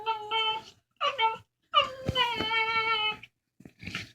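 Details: Two dogs exchange funny talking sounds over a bone: short whining phrases separated by gaps, then a longer sustained harmonic whine, followed by quieter fragmented squeaks.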